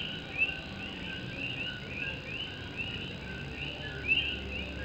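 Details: Puerto Rican coqui frogs calling through night rain on a tin roof in Morovis, Puerto Rico; numerous quick rising whistles overlap, with a couple of louder nearer notes standing out above the rain hiss.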